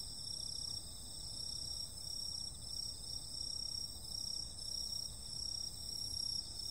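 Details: Several insects calling together on a summer night, their high continuous shrilling swelling and fading in slow waves about once a second, over a rapid buzzy trill and a faint low background hum.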